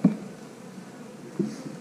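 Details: Honey bees humming in a low, steady drone, broken by a sharp knock at the start and another about a second and a half later.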